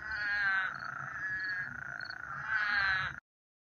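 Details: On a summer night at a small marsh in the desert beside irrigated fields, many frogs sing together. Their trills form a continuous buzzy drone that swells at the start and again near the end.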